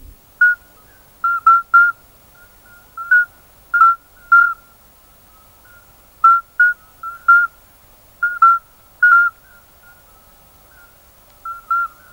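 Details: Male common midwife toads calling, each timing its song for silent gaps between other males to be heard by females; short fluty whistled notes at slightly differing pitches, single or paired, scattered irregularly over the clip against a quiet background.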